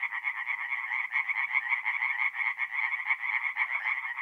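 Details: Nighttime forest pond in north-east Italy in mid-April, tree frogs calling together; fast pulsing croaks from several animals blend into a steady, unbroken rattling chorus.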